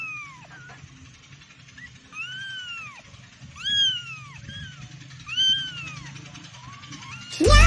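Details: Kittens meowing in a compilation of young cats: high, thin arched mews, several in a row, each rising then falling, with a low steady hum underneath and a sudden loud knock at the very end.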